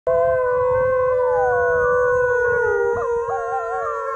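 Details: Wolves howling, a call said to carry ten miles and to summon other packs or warn of danger; several long overlapping smooth tones, steady then wavering and rising near the end, with a low rumble beneath.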